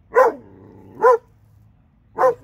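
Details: Two dogs from Alabama; three clear, evenly pitched barks, the first two about a second apart and the third after a slightly longer gap.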